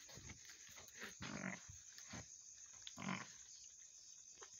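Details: Mother goat that has just delivered two kids, calling with short, low, hoarse bleats at roughly 1.5 and 3 seconds, amid soft rustling and shuffling.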